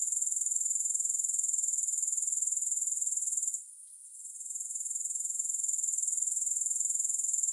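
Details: High, fast-pulsing grasshopper chirring, free of music, runs evenly, dips into a short lull midway, then slowly swells back to full strength.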